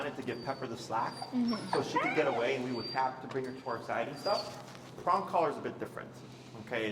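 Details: Finnegan, a feral husky in a heel lesson, voicing disagreement with the behavior: quick bursts of wavering whines and short yips, around three per second, with human speech overlapping.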